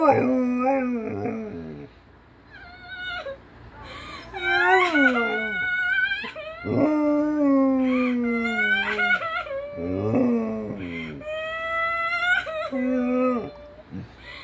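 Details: A German Shepherd reacts to the sound of a human crying with drawn-out, wavering howls and whines that slide downward in pitch.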